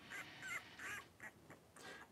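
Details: Three-week-old blenheim Cavalier King Charles Spaniel puppies playing together in their indoor pen, giving short nasal squeaks and yips in quick succession, fading toward the end.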